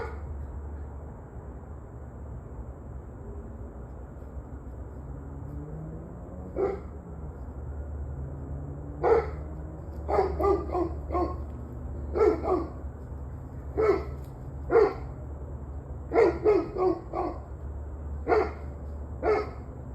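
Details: After several quiet seconds of low rumble and a faint whine, a dog starts barking repeatedly, short sharp barks roughly every half second to second, some in pairs; recorded 21 November 2023, 7:06 pm.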